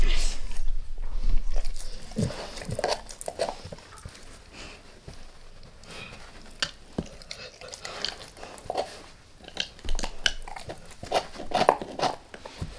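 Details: A dog named Max working on a beef rib, close-miked for ASMR with no talking: scattered bites and crunches, heavy low thuds early on, then quieter stretches broken by bursts of gnawing.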